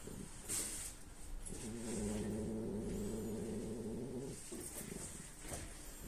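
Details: A female French Bulldog snores in her sleep, a low, rattling, buzzy breath lasting about three seconds.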